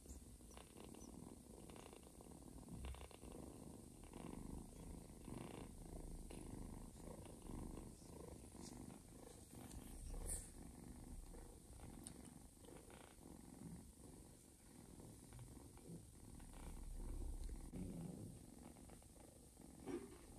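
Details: Mother cat Joanna purring while nursing a little ginger foster kitten indoors; a continuous low, rough rumble with steady pulsing throughout, soft clicks and faint rustling on top.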